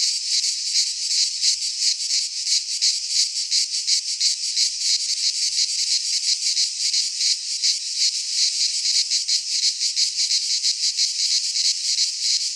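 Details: Sustained high-pitched buzzing of cicadas singing in midsummer among Greek pines, evenly pulsed at close to three beats per second, a dense insect wall of sound with nothing else audible.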